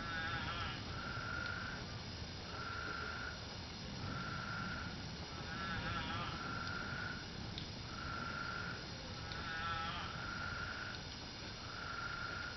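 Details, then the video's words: Chorus of spadefoot toads in Arizona, out after monsoon rains soaked the ground, each bleating, sheep-like call lasting about a second and repeating every one to two seconds, with several toads overlapping over a constant background hiss. "Spadefoot Toad sounds in Arizona"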